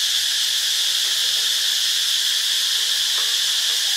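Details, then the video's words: Short stretch of Thai cicada song from Ubon Ratchathani: an intense, even, high-pitched sizzle with no breaks, dominating the whole recording. "เสียงจักจั่น (Cicadidae)"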